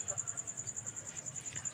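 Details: Cricket at night with a clear, high-pitched pulsed chirring, about ten even beats per second, over a quiet low hum.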